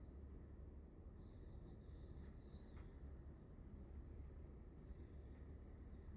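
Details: Miniature Dachshund named Nel whining plaintively for affection: high, thin squeaky whines in three close bursts, a pause, then one more whine near the end, over a low steady hum.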